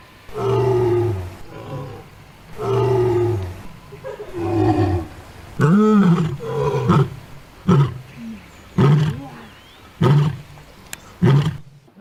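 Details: Roaring sequence from an adult female lion: three long, deep, spaced moans open it, followed by a powerful roar and then quicker, shorter grunts repeated roughly once a second, tapering off.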